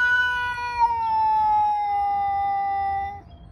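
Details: Male domestic cat outdoors yelling at another male, a long drawn-out yowl held steady for over three seconds, slowly falling in pitch, rich in harmonics; a person's voice speaks just before and after.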